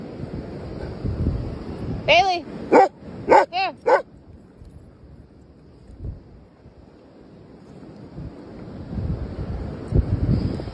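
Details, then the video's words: A German shepherd and a little dog at play: a brief cluster of four high, tonal yelps with arching pitch, packed into about two seconds, followed by quiet background rumble and faint handling noise. "german shepherd little dog are playing"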